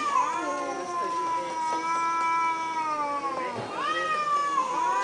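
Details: Thai cats talking to each other: long, sustained, wavering meows held for several seconds, a short dip and break midway, then another rising, drawn-out wail with overlapping tones.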